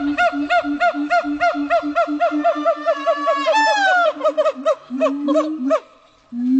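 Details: Siamang howling at Dubbo zoo, New South Wales: fast regular series of short hooting notes over a steady low boom, building into a quick rising whooping climax, then a few longer low notes.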